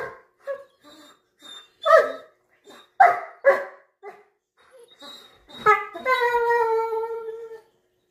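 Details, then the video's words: Two Weimaraners fighting over a corner seat: a run of short, harmonic yelping and grumbling cries in uneven bursts, then a long, sustained whine that slowly falls in pitch before stopping. "2 Weimaraner's Fighting Over Corner Seat"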